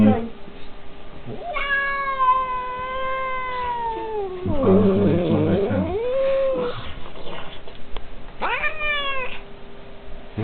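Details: An angry domestic cat attacking its enemy. It gives long, drawn-out wailing yowls that waver and bend downward, with a rough growling stretch in the middle, over a low hum and a person speaking Czech.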